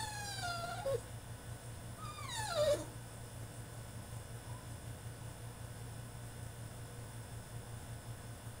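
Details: French Bulldog protesting in his cage with two drawn-out whines gliding downward, the second louder and longer, then near silence with only a low background hum.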